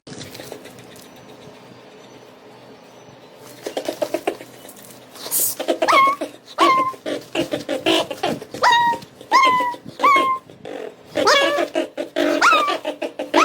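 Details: Mini Bichon Frise dog indoors making a run of short, whiny nasal yelps, each sliding downward in pitch, repeated roughly every second in bursts after a quieter start, with rustling and handling noise in the room.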